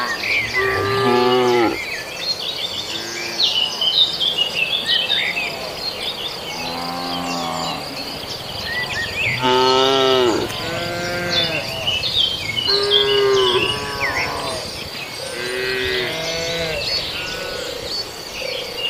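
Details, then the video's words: Cattle in Indonesia feeding on residents' green grass. About seven repeated, overlapping moos, each a rich, wavering low bellow. Birds chirp and insects buzz steadily in the background. "rumput hijau warga di serbu sapi, suara sapi"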